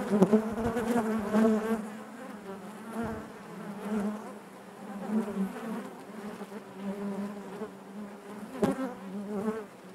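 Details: Steady droning hum of honey bees within the hive, a dense chorus of overlapping wingbeats that rises and falls gently, with a few sharper close passes early on and near the end.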